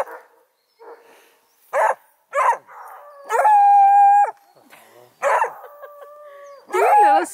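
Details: Litter of 4-month-old Redbone Coonhound puppies near Kingston, Ontario, Canada. Scattered short barks and yips, then a sustained flat howl for about a second, more barks, and a wavering howl at the end. A man's voice is faint at times.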